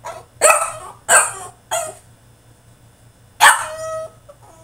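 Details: French Bulldog throwing a tantrum in his cage: three rapid harsh barks in the first two seconds, a pause, then one long bark that trails into a whine.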